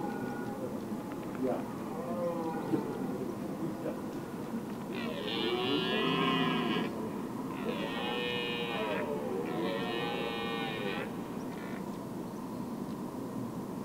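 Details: Red deer in the Weerterbos, Netherlands, on the evening of 27 September 2013 between 19:00 and 19:30, watched from a lookout tower during the rut's mating prelude: three long, harmonic, bellowing calls in quick succession midway through, after softer moaning calls, over steady background hum.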